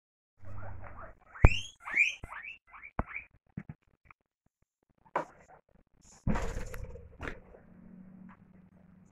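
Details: Pet guinea pigs meeting new items in their cage give a quick run of short, rising, upward-sweeping squeaks, some with a bright overtone, over a low hum, followed by rustling and clattering of objects.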